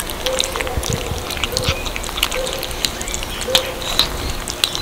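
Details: Kittens chewing cat food, heard as quick, dry, crisp clicks and crunches that come in small bursts, over a faint, steady background hiss.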